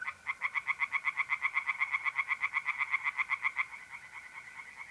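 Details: Pond tree frogs calling at night in mid-April, north-east Italy: a dense, steady series of quick grating croaks, about four per second, carrying on throughout, with the constant buzzing trill of mole crickets behind.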